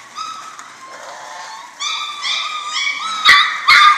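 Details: A litter of German Shorthaired Pointer pups at six weeks whimpers in drawn-out, high, tonal whines that build in loudness, ending with two sharp yelps.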